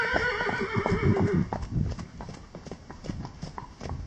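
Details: Wild horses: a loud whinny with stacked harmonics fills the first second and a half, then gives way to irregular thudding hoofbeats, roughly three per second, over a low rumble.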